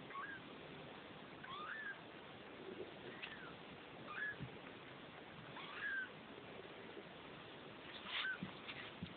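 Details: Two-week-old Neva Masquerade kittens from a Czech cattery litter give thin, high mewing calls, short rising and falling squeaks repeated every second or two against a steady low hiss.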